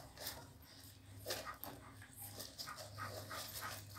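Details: Newborn American Pit Bull Terrier puppies on their second day, giving soft, short whimpers and squeaks in quick irregular bursts, with a steady low hum underneath.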